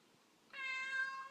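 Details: A house cat that wants out gives a single steady harmonic meow starting abruptly and holding level for most of a second in a quiet room.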